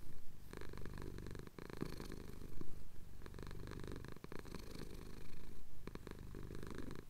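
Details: Male pet cat purring while having his chin scratched, a steady low rumbling purr with faint breathy cycles and occasional soft clicks, filmed at sunrise over the Cotswold hills and recorded separately on a Tascam DR-07X.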